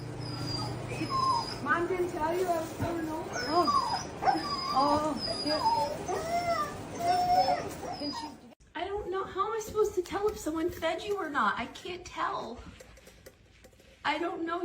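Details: Pet dog shown in a funny dog compilation gives whining, whimpering cries: wavering, curved tones that rise and fall in quick runs, some drawn out toward a howl, with a human voice talking over and between the cries.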